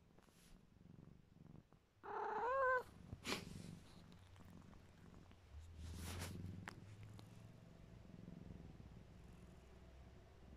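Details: Drowsy, tolerant pet cat Mićo lets out a short wavering meow partway through. A low, steady purr continues after it, with a few rustling handling noises around.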